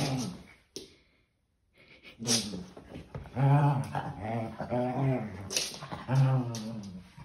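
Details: Maltese pet dog growling during playtime indoors; low rumbling growls in rising-and-falling bursts, with a short quiet gap near the start and faint human voices.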